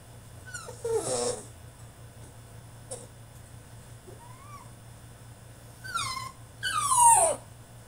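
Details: French Bulldog throwing a tantrum in his cage indoors: a short burst of whining near the start, then quiet with faint squeaks, and two rising-then-falling whines with a sharp yelp near the end.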